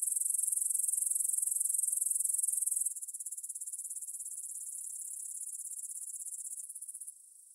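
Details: Grasshoppers stridulating in a meadow near the Svensky monastery, Bryansk, Russia, at 9 pm on 6 September 2020, recorded in stereo with a Tascam DR-44WL: an intense high rasping chirr for three seconds, then a quieter rapid pulsing that fades near the end.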